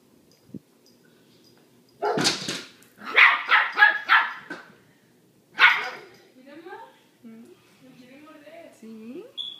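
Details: A little dog barks at a big dog named Manolo that is behind a door, indoors: a burst of sharp, broadband barks, then several more in quick succession, followed by softer voices and whining tones.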